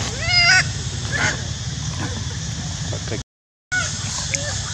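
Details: Loud monkey screaming: a sharp, rising-and-falling harmonic squeal near the start, then fainter squeaks and a short later cry over a constant low hum, with a brief silence in between.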